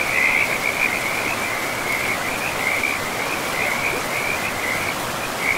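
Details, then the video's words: Frogs by a forest river, among moss-covered land and trees: a chain of high, buzzy pulsed trills follows almost without pause, set over a steady wash of flowing water. "River and Frogs sleep sounds"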